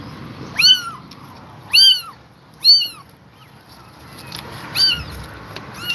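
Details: Exhausted mother cat staying with her kittens: high, thin meows arching up and down, four clear calls about a second apart then a fainter one, over quiet low background hum.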